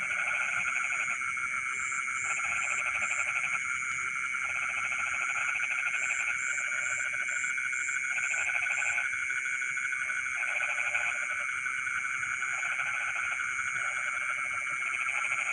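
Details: Frogs calling at night in rice fields, a dense chorus of pulsed trilling bursts of a second or two, overlapping, over steady insect-like high buzzing bands.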